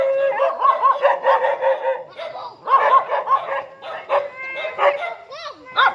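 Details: Dog greeting its returning owner with a continuous stream of high excited whines, yelps and short barks, some rising and falling squeals near the end.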